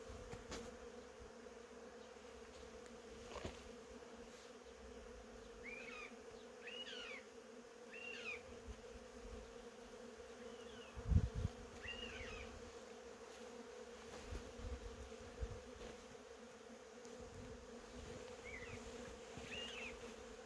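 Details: Steady humming of honey bees in cherry blossoms, unbroken for twenty seconds, while small birds give scattered short chirps and a thump sounds midway.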